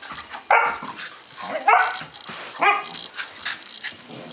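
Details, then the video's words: Two puppies, a 2-month-old male Dalmatian and his 5-month-old German Shorthaired Pointer sister, play fighting indoors; three short, loud, harsh yelping barks about a second apart, then softer scuffling sounds and faint high background noise. "Dalmatian and GSP puppy play fighting"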